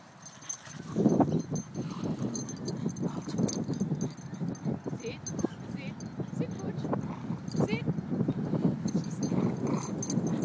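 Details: Two almost four-year-old Staffordshire Bull Terriers, one black and one brindle, play tug together. Low, rough growls rumble almost without a break, mixed with scuffling and a person talking.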